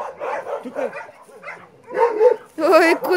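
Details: A dog out on a walk gives a short run of yipping, wavering whines near the end, while a person talks and calls to it over the first part.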